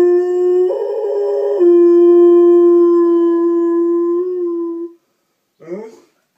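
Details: Pet dog howling indoors as it hears an ice cream truck outside; a long, steady, tonal howl briefly jumps louder and higher, then holds level for about four seconds before stopping, followed by a short voice-like sound.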